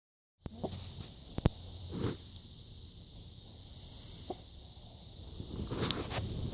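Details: Pug named Emma snoring during her nap; low, rumbling breaths with soft breathy bursts roughly every two seconds, plus a couple of sharp clicks near the start.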